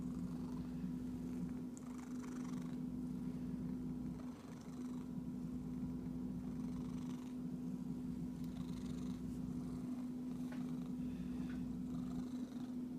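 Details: Steady, deep purr from a pet cat, an unbroken low rumble with a constant hum layered over it and soft rustles scattered across the recording.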